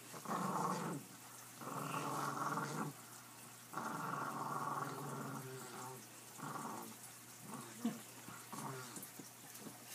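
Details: Puppies playing, giving rough, rumbling growls in bursts of about a second each, several in a row separated by short quiet gaps, the tone staying low to mid and fairly steady.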